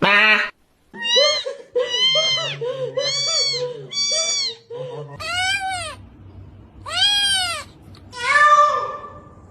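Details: Male domestic cat indoors, said to be not happy; a rapid run of repeated arched meows, roughly one every half second, then three longer loud drawn-out meows, with a person's voice and background music.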